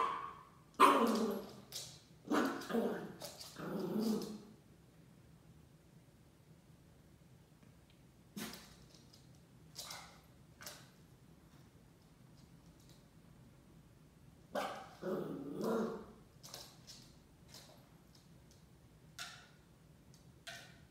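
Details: Shiba Inu puppy in its first week at a new home, playing with a paper roll: bursts of short yappy barks and growly grumbles in clusters, with quiet gaps and rustling thumps between.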